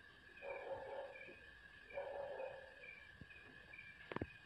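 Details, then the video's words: Puppy crying out around feeding time with its mother, two drawn-out whiny yelps about a second and a half apart, followed by a few sharp clicks over a constant insect trill. "She is scream when puppy barking"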